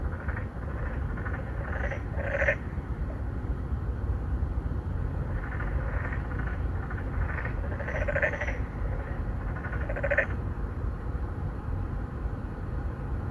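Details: Three or four narrow-mouthed frogs courting females at a pond inside an apartment complex in Songdo, Incheon, Korea, 2019, phone-recorded: short nasal pulsed croaks in loose bursts, several overlapping, over steady low rumble of background noise.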